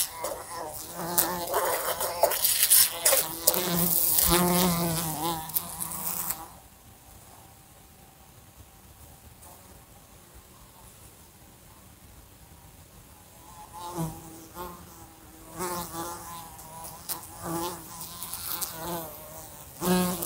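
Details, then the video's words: A fly in a room flies next to a lamp and bumps into it. Loud wavering buzz with sharp taps for six seconds, a long quiet hush, then renewed bursts of droning hum interrupted by clicking knocks. "A Fly Buzzing Sounds"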